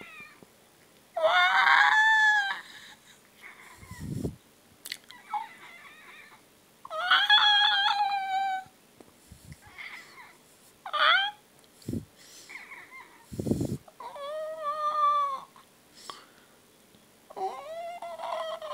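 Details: A pet cat described as talking, as if swearing, to demand food. It makes a long run of strong, harmonic meows that bend up and down, broken by short thumps and clicks.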